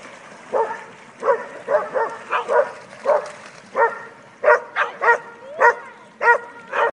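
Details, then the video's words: A pack of about eight dogs having fun in a river, several voices giving short harmonic barks and yips in irregular bursts, roughly one to two per second, some overlapping near the end, over a low background hiss. "Pack Of Dogs In The River"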